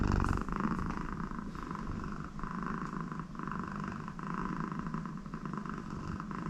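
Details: American Shorthair cat Connie, happy with her owner next to her, gives a softer steady low purr with gentle breath-paced swells, indoors, with a faint snore-like nasal tone.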